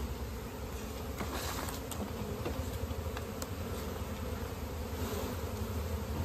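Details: Droning of a honey bee colony disturbed for natural honey collection in an Indian village; an even, low, buzzing hum throughout, overlaid by scattered crackles and taps.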